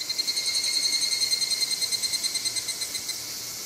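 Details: Higurashi cicada song recorded 2 August 2020 at a shrine in Moroyama, Japan: a fast, evenly throbbing metallic trill of clear ringing tones, pulsing several times a second and slowly weakening toward the end.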